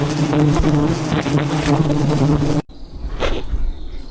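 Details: Swarming wild bees at a large jungle beehive in the trees during a honey hunt; a thick, droning low hum for over two seconds, then cut off abruptly, leaving quieter rustling and a faint knock.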